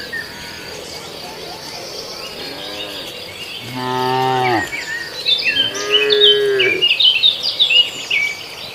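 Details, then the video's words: Beef cattle kept as sacrificial animals, grazing on green grass. Two drawn-out, deep moos, the first rising then falling and the second more nasal. Bright chirping birds and insects are heard throughout. "suara sapi"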